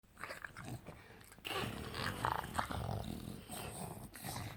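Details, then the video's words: English Bulldog making weird gremlin-like noises while playing on a couch indoors; rough broadband grunts and growls, with soft rustling and a person's voice briefly near the end. "Bulldog making weird sounds looking like Gremlin"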